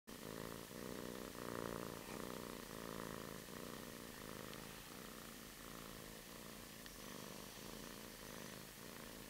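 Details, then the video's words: Kitten purring as it wakes up in its bed: a soft, steady, low rumbling purr with faint rhythmic pulsing throughout, quiet and close, with no other clear sounds. "Sleepy kitty"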